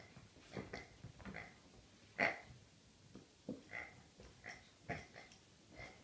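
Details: A Rhodesian Ridgeback, called a birthday pig, gives a series of brief nasal grunts roughly every half second, the strongest snort at about two seconds, over a faint background hiss.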